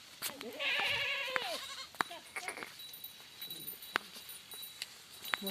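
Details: Barbari goat at a goat farm in Jaunpur, giving a loud wavering bleat of about one second, followed by clicks, knocks and faint farm noises.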